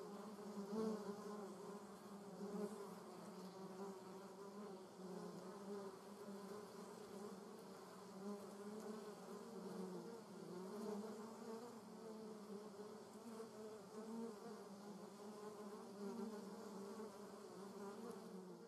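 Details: German wasp flying in a garden, giving a continuous humming drone whose pitch wobbles gently up and down, with slight dips and rises in loudness across the whole stretch.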